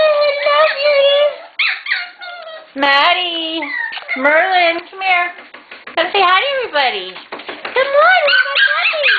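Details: Litter of puppies readying for new homes, playfully wrestling each other and their mother, excited; high, wavering whines and yips, bending up and down, overlap in quick bursts, while a person cheers them on with repeated encouraging words.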